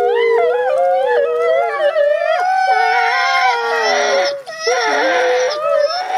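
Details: Two captive gray wolf siblings howling together, their voices rising and falling in wavering, quavering tones, with brief sharp pitch breaks and a short pause midway before the intertwined howling resumes.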